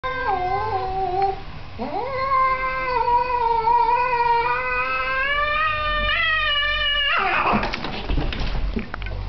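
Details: Two pet cats fighting each other indoors: a short lower wavering moan, then a long rising yowl that holds and wavers for about five seconds, breaking into a harsh burst of hissing and scuffling noise.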